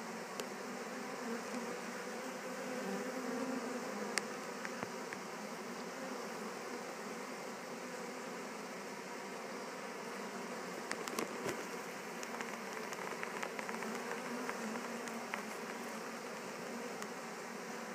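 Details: A swarm of honey bees, just returned to a Warre hive, makes a constant low buzzing drone while settling in. Scattered faint ticks and crackles sound over the hum, with a cluster around the middle.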